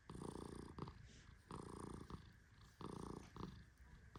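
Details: A male Persian cat named Tehran sleeps deeply as he is stroked. His snores are low and buzzy, coming in steady rhythmic pulses about every one and a half seconds. Faint rustling of fur can be heard between breaths.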